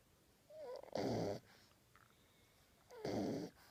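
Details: Ten-week-old French Bulldog puppy asleep with its tongue out, snoring: two harsh, rasping breaths about two seconds apart, each lasting under half a second, with quiet room hush between them.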